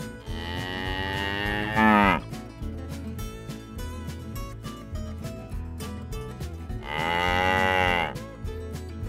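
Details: Cattle at a livestock auction with bulls, cows and calves for sale; two drawn-out moos about five seconds apart, each rising and then sliding down at the end, heard over steady rhythmic background music.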